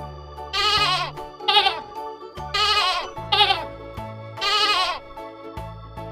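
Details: Domestic goat bleating in a children's lesson on domestic animals: five quavering, nasal bleats alternating longer and shorter, falling at the end, over steady background music.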